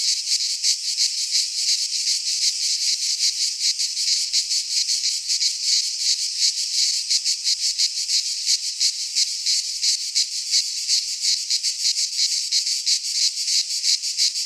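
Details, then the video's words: Greek pine-forest cicadas in midsummer produce a steady, high-pitched rasping drone, pulsing evenly about three times per second throughout. "Cicadas singing in midsummer - Nature sounds from the Greek fauna - Sounds of cicadas"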